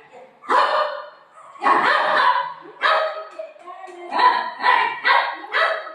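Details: Golden retriever family dog at play with its mom, barking in repeated bursts that come faster toward the end, roughly every half second. Marathi speech and faint music sit underneath.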